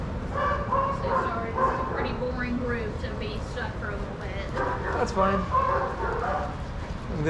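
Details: Shelter dogs at play in a daycare group, giving quick overlapping barks and higher yips in an irregular stream over a constant low hum.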